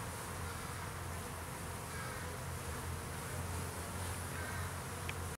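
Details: Honey bees coming and going from their farm hive while foraging on a May afternoon; an unbroken low buzzing hum, fairly even in loudness, with a faint tick near the end.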